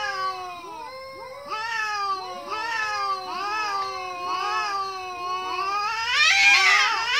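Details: Kitten meows, several voices overlapping: arched, harmonic-rich calls rising then falling, repeated about once a second, building to a louder, harsher cluster near the end. No other sounds.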